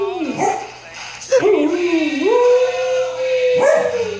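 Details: A Samoyed puppy sings along to Queen's "We Will Rock You" with a wavering, tuneful howl that dips, then holds a long, steady note; her sister wakes and joins in a duet.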